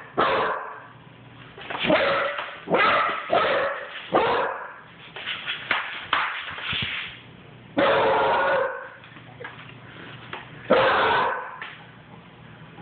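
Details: Basset hound puppy barking as it runs: clusters of sharp, rough yelps, then two separate long, ringing bays with quieter gaps between them.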